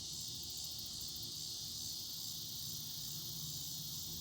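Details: Many cicadas in a mulberry tree in Broken Arrow, Oklahoma, August 2020, start up again just after sunset around 8:06 pm: a steady, high-pitched buzzing drone swelling gently in waves.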